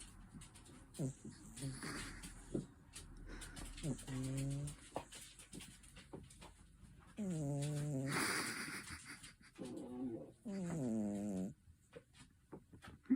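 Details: Snoring from a domestic cat, heard as low, droning, harmonic breaths that waver slightly in pitch. The longest lasts about two seconds, and several come in uneven succession over light rustling and quiet room noise.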